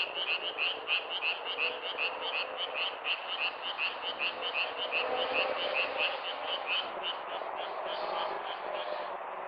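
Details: Frog calls recorded in nature: fast chirping croaks about three per second at first, fading after seven seconds into a softer background chorus.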